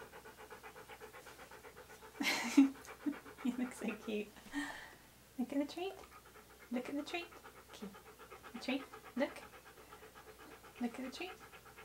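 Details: Siberian Husky named Key, posing in hats and clothing for photographs. Rapid, steady, breathy panting runs throughout, with Spanish speech and voiced sounds overlapping in bursts from the second second onward.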